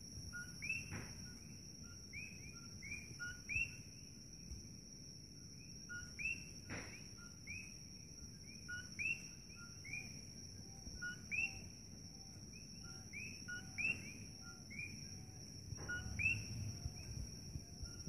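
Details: Coqui frogs at night near Holualoa on the Kona Coast of Hawaii's Big Island: many overlapping two-note chirps, a low note rising sharply to a higher one, repeated constantly over a steady high electrical whine and low hum.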